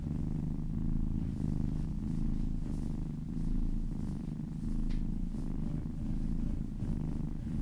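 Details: Domestic cat purring while being massaged, a low continuous rumble with a steady pulsing texture and gentle swells in loudness; a faint brief higher sound near the middle, otherwise quiet indoor background.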